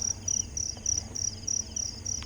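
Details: Crickets chirp in a high, shrill pulsing trill, several bursts a second, heard from a car driving down a mountain road near Grace Hill in the Philippines, near goats.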